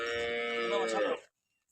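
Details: Jersey Friesian cross cow in Pakistan, offered for sale, gives a single drawn-out, fairly high, nasal moo lasting just over a second. Its tone holds steady, then cuts off sharply, leaving near silence.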